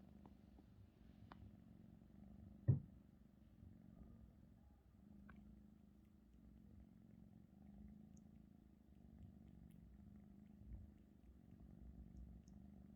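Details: Russian Blue cat named Maeum kneading the owner's blanket indoors, with a soft, steady low rumbling purr running throughout and a few faint clicks and taps over a quiet room.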